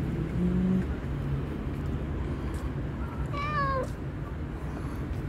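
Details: One brief, bright meow from the hungry black and white cat with a mole on its nose, dropping in pitch at the end, heard over a steady low drone.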